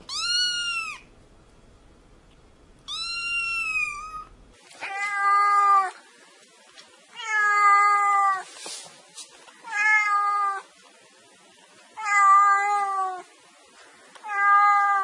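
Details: Kitten meows: two high, thin cries first, then a run of five lower, fuller meows repeated roughly every two seconds, each about a second long.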